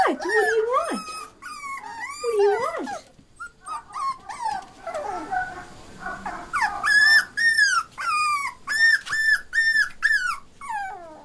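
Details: Shih Tzu puppies whining and yelping: high, arched whimpers in quick succession, a quieter mixed stretch in the middle, then a run of sharp, repeated yelps about twice a second to the end.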